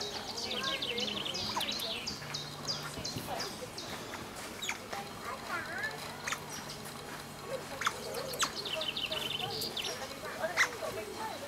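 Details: Group of Asian small-clawed otters enjoying an afternoon together, playing with rocks, squealing excitedly: clustered high chirps and short wavering whistles come in bursts, with quieter gaps and a faint low hum in the background.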